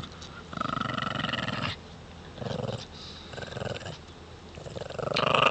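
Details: Male Shih Tzus in northern Canada tussle for a stick on an ice road with tails wagging; several short bursts of throaty pulsed growling, separated by quiet gaps, the last swelling louder at the end.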